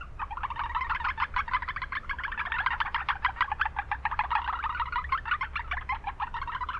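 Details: Japanese brown frogs calling in a wetland in the middle of town: a dense, overlapping chorus of quick, short pulsed notes running without a break, with a steady low hum of background noise underneath.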